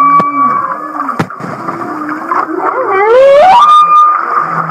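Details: Humpback whale song recorded off Kihei, Maui, said to sound like laughter: a long steady high tone and a lower wavering moan, then a swift rising upsweep with rich harmonics that climbs back into the sustained high tone.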